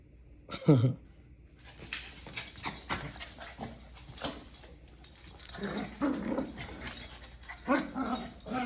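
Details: A Maltese gives a short deep grunt, then a run of scrappy growls and whines while people talk, making funny sounds while fighting.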